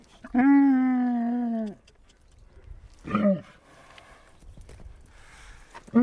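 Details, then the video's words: Camel calling with a long, steady, nasal groan of about a second and a half that droops at the end, followed by a short rough grunt and the start of another groan. "Camel talk"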